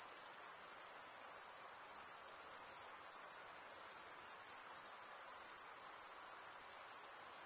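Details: Crickets chirping by stridulation, a dense continuous high-pitched trill held steady throughout, shimmering without pause, with a faint low hiss beneath.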